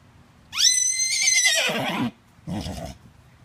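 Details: A fifteen-year-old Miniature Horse stallion with a toy lets out a loud whinny. It jumps upward, then holds and quavers, sliding down for a second and a half, and ends in a short breathy snort.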